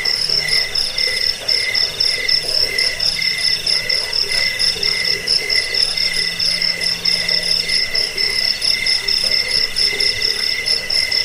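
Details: Crickets in a dense, continuous chorus of shrill, high-pitched pulsed chirps on two steady bands, about two pulses a second. A faint low hum runs underneath. Offered as a sound for repelling rats and for training songbirds.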